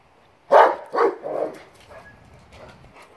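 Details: German Shepherd Boxer mix dogs playing, recorded January 26, 2021: three loud, rough barks in quick succession about half a second apart, then fading softer grunts and noises.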